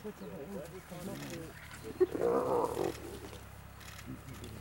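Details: Spotted hyenas at a kill in Vumbura, Okavango Delta, Botswana. Short, low, rapid harmonic calls come first, then a louder, harsh, whining outburst of about a second in mid-clip. A steady low engine hum runs underneath.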